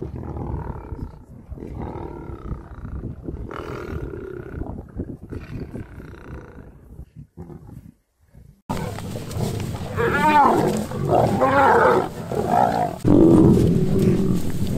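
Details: Lions, a male approaching a female to mate: soft, wavering moans and low grunts at first, then an abrupt switch to loud, harsh snarling growls with quavering, bending tones and gritty rumbles underneath.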